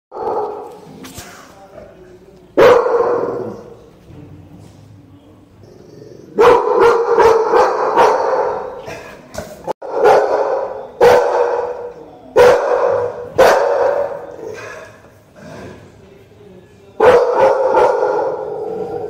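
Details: Two American Pit Bull Terriers barking: loud, rough barks in irregular clusters of rapid repeats, separated by quieter gaps, with a softer stretch before the first hard bark.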